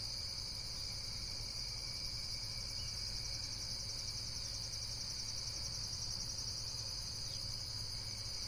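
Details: Shrill, rhythmically throbbing insect calls form a constant high band of sound, never pausing, over a quiet low background rumble.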